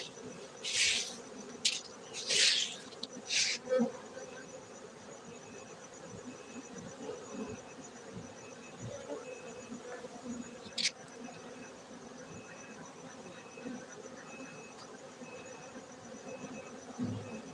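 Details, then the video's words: Honey bee colony hum at a Gayo bee farm in Bener Meriah, Aceh, Indonesia; several loud rustling noise bursts open the clip, then the steady droning buzz continues with a faint repeated high ticking. "Markaz lebah madu gayo Aceh Indonesia bener meriah"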